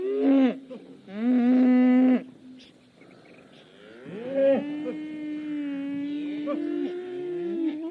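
A cow gives several low, drawn-out moos with rich harmonics, two short ones at first, then a long, steady bellow lasting about four seconds.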